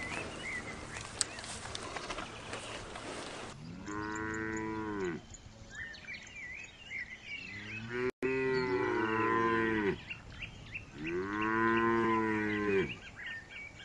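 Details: Cows of different breeds mooing: three long, drawn-out lows with a rising-then-falling arch, spaced several seconds apart, after an opening stretch of hissing noise, with birds chirping between the calls.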